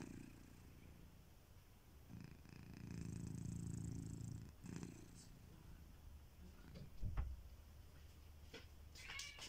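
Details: Kitiboy, a house cat, snoring in his sleep: a long, steady, low rumbling breath lasting about two seconds, then quieter breathing with a brief louder snort and a few light rustling sounds.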